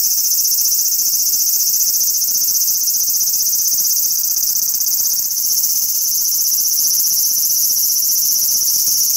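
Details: Large brown cicada calling from a cherry tree in a park: a dense, rasping sizzle that dips briefly near the middle, then carries on at full strength.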